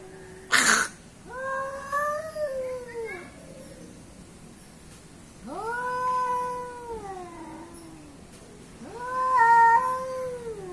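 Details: Fighting cats, billed as an Asian cat against an African cat, trade three long moaning yowls that rise then sag in pitch, each about two seconds, opened by a sharp bump or hiss-like burst.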